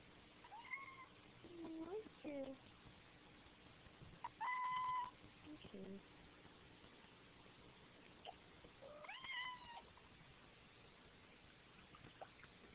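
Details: A male Siamese cat gives a series of loud, drawn-out meows with a clear, slightly nasal tone.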